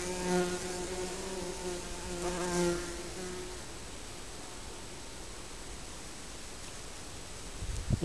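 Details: Honey bees from a colony nesting under a garden shed: deep droning buzzes of bees passing close for about three seconds, then fading into quiet background hiss, with a rustle at the end.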